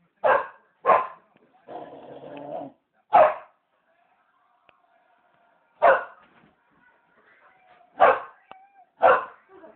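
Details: Samoyed barking at a television programme indoors: a string of loud, harsh barks spaced irregularly over several seconds, with a stretch of muffled television voices and faint background noise between them.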